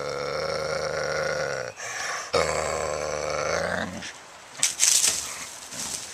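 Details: Coyote being possessive of a roadkill deer, recorded April 11, 2014; a sustained harmonic growling snarl in two long bursts, then quieter rustling and a few sharp noises.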